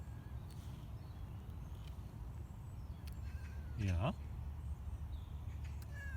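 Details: Casper, a cat being taken outdoors on a leash for the first time in improving weather, moving carefully. He gives one short meow, a clear harmonic cry that bends upward and then drops, amid soft outdoor hiss and a person coaxing him in Dutch.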